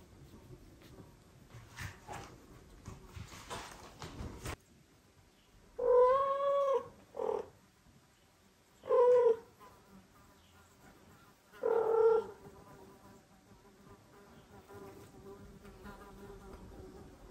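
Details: Domestic mother cat, kept with her kittens, meowing to the father cat while carrying a kitten to him. Four drawn-out, harmonic meows with a rise and fall, spaced a few seconds apart. Soft rustling before and between them.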